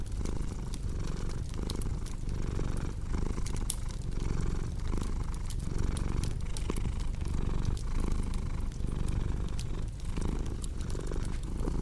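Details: Continuous low cat purr, throbbing in regular inhale-exhale pulses just under a second each, with frequent crisp snaps of a crackling fireplace in the background.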